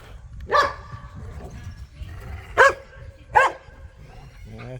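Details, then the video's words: Playful pit bulls and a Malinois wrestling over a tug toy in a yard give three sharp, bright barks spread over about four seconds, separated by longer gaps, with a person talking quietly in the background. "The Sounds of Snarling, Growling and Squeaking"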